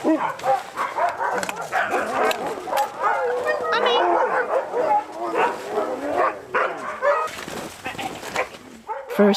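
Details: Huskies from a kennel of about fifty sled dogs behind the scenes of dog sled tours in snowy winter, let loose in a big playground; dense overlapping barks, yips and whines from many dogs, with voices and music mixed in.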